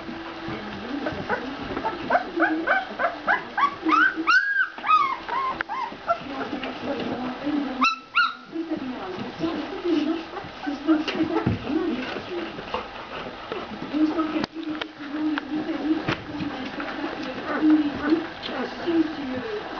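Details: Two-week-old Ca de Bou puppies give quick strings of piercing rising squeals early on, then settle into steady low grunting and mewling, with occasional faint whines continuing to the end.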